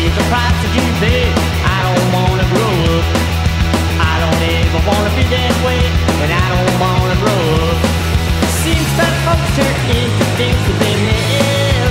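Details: Loud rock music with driving bass, guitar and drums plays throughout, and no animal is audible.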